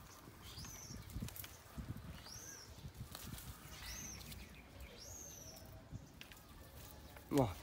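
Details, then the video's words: Angry crying from Tony, a baby monkey not nursed: four high, bowed whining cries spaced roughly a second apart, a faint rustle and muffled knocks, ending with a sharp clatter. "Baby Monkey Tony Crying Time|Tony Cry Angry Daddy Not Nursed"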